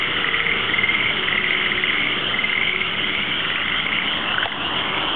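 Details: Frogs calling after dark outside an apartment in Sanda, Japan: a dense, unbroken chorus of overlapping trilling croaks that forms a steady high-pitched wall of sound, with faint low rumble in the background.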